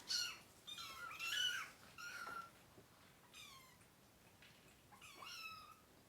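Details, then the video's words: Crying kittens, part of a litter of three being dewormed along with their mother cat indoors; a rapid run of high, descending meows, some overlapping, roughly one per second, fading in loudness toward the end. "Too MANY Crying Baby Kittens!"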